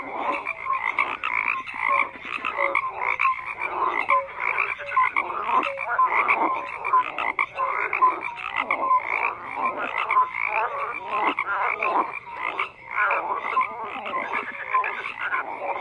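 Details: Thick chorus of croaking frogs, short raspy pulses repeated in quick succession from numerous callers, interspersed with clear piping notes, holding a constant loudness apart from a brief dip near the end.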